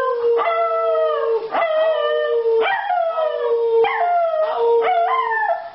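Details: A singing Schnauzer howls in long, sliding tones, each wail starting high and drooping lower.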